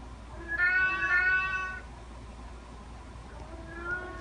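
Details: Domestic cat giving one long, drawn-out, slightly wavering meow lasting over a second, followed by a faint softer meow near the end, over a low background hum.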